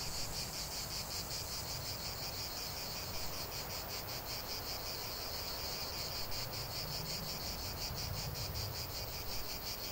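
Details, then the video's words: Cicadas sing in a sustained high-pitched drone, pulsing rhythmically throughout, with a noticeable low rumbling background beneath the buzz. "45 min de chant des cigales"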